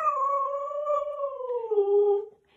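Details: Pet Siberian Husky howling at home: a long, steady, tonal howl that wavers slightly, dips lower toward the end and fades out after about two seconds.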